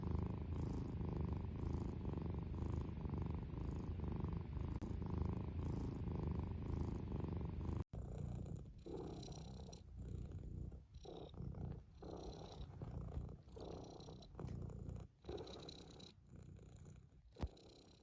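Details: A cat's deep rhythmic purr pulses with its breathing for about eight seconds. After an abrupt cut, uneven rustling and shuffling noises follow, with the purr less clear.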